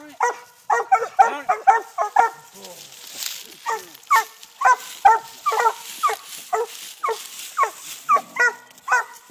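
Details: Treeing Walker puppies, six months old, baying at a live-trapped raccoon on a tree while training in Texas: steady string of short ringing barks, about two per second, from more than one dog.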